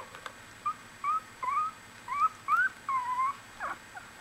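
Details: Litter of one-week-old Australian Bulldog puppies making brief upward-sliding squeaks and one longer falling whine, spaced a fraction of a second apart over a low hiss.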